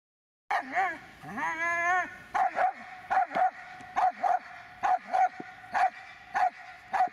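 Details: Magmar von der Burgstätte, a Dobermann, opens with a rising drawn-out whine, then barks in quick pairs repeated about every half second, with a faint steady tone underneath.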